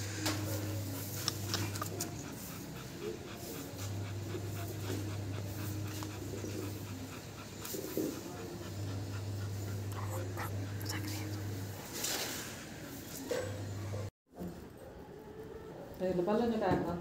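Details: Labrador Retriever about eight months old, breathing in steady rapid pants through most of the recording, with a persistent low hum underneath, chirping birds in the background and a short break near the end.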